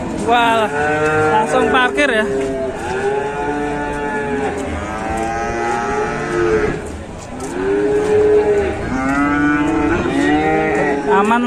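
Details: Angry cattle from Indonesian livestock keeping, described as raging out of control, give loud drawn-out moos that arch upward then sag, several in sequence with short gaps between bellows.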